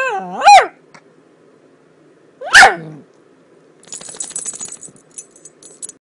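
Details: Miniature dachshund making weird noises: two sharp bending yelps about two seconds apart, followed by a soft rattling, clicking sound like something being shaken.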